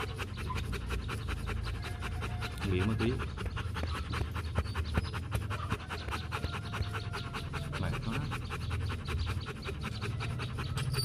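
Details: A Vietnamese Rottweiler of the Gervi kennel, one of the champions Bruno and Melsee, breathing in fast, regular pants throughout, with brief faint voices in the background.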